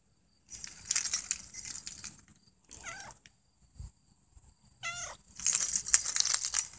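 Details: Puffy-fluffy, a mother cat, with her kitten Snow White; two short, thin, wavering mews rise and fall between bursts of loud rustling and handling noise.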